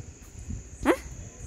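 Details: Julie, a pet dog that ran off with socks, gives a single short, sharp bark that rises briefly, with faint speech around it.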